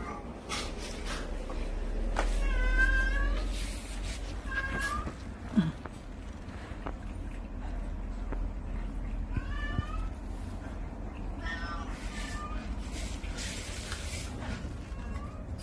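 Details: Two large domestic cats purring while cuddling close together; a steady low rumble runs throughout, overlaid by several short wavering meow-like calls and faint room noise.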